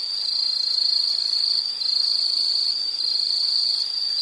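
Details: Insect calling in a nature soundscape: a steady, high, unbroken trilling drone with slight dips in loudness, dense and ringing without pauses throughout.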